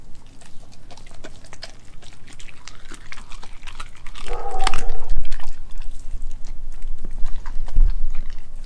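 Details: Crunching and snapping bites as Nala, an Australian Kelpie German Shepherd mix, eats raw beef and chicken parts. A short tonal whine rises midway, then loud, dense chewing continues to the end.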